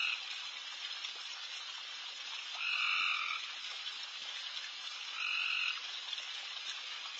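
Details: Many very loud frogs calling late at night around a backyard. A dense, hissing chorus fills the air, and two louder, harsh, two-toned croaks about half a second long break through, spaced roughly two and a half seconds apart.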